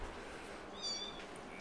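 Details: Screaming kittens kept as pets indoors: one brief, thin, high-pitched mew with stacked bright harmonics rises midway through, set against a steady hissy room background with faint low hum.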